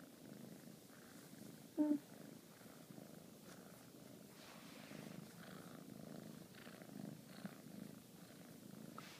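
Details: A female Bengal kitten purrs in a continuous low, vibrating rumble that pulses evenly throughout while being cuddled; a brief higher squeak breaks in near the start, and a person speaks softly nearby.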